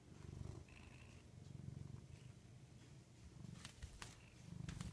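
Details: Low, throbbing purr from Rudy the house cat, rising and falling in rhythmic waves, with a brief faint high tone early on and a few sharp clicks from handling.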